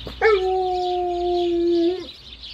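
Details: Alaskan Malamute vocally nudging while getting ready for its first car ride of the year: one long, steady, clear howl held level for nearly two seconds, with faint background hiss.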